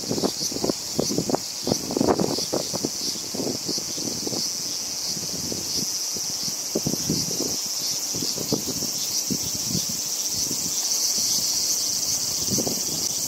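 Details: A Hyalessa maculaticollis cicada sings unbothered while feeding, a continuous high hiss under frequent low thumps and rustling knocks close to the microphone.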